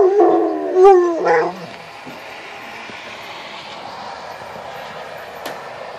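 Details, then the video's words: Dog howling at severe weather sirens on the first of the month, with a short, wavering, quavering howl and a falling yelp in the first second and a half, then a steady background rush. "Crazy Dog Howl"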